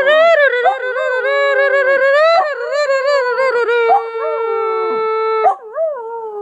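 A long-haired dachshund howls in sustained, wavering tones that rise and fall with rich harmonics.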